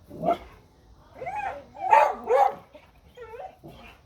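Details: Dogs barking at a deer: a few short, rough barks in uneven bursts over four seconds, ending with a higher, tonal yelp-like note.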